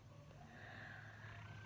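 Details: Hungry male Himalayan cat at home in the early morning, rousing his owner: a continuous deep purr, with a faint tonal sound higher up and a soft voice nearby.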